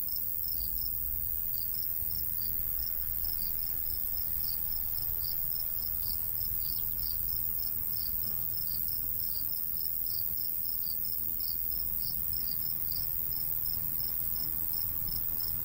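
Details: Summer countryside crickets chirping from a golden wheat field: high, evenly spaced pulses run without pause across the whole stretch, with a light breeze hissing and rumbling low beneath them.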